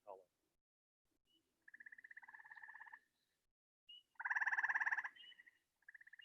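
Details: A gray treefrog (Hyla versicolor, or its hybrid-zone sister species) in the Chicago area gives loud, musical pulsed trills from trees, each lasting a second or more, with twanging green frogs in the background.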